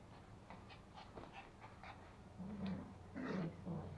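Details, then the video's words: Two toy Pomeranian puppies, a male and a female, in Kathmandu, Nepal, tussling over a sock indoors: low soft growls and whimpers with snuffling, breathy panting and small yips, louder rough growls near the end. "Pomeranian puppies fighting for sock"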